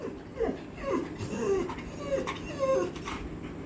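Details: Labrador Retriever crying sadly, whimpering because it cannot find someone it misses; short, thin, wavering whines rising and falling, repeated about once a second, with a woman's voice faintly heard.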